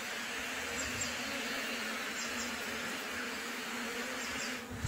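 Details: Bees at a new beehive in its first two weeks: a dense, steady, even hum of many wings fills the clip, with faint high ticks scattered above and a small knock at the very end.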